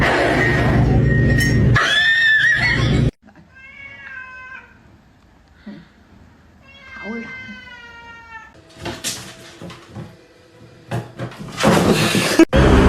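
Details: Domestic cat giving two drawn-out, tonal meows with layered overtones, the second sliding upward then holding, framed by people talking loudly and exclaiming before and after.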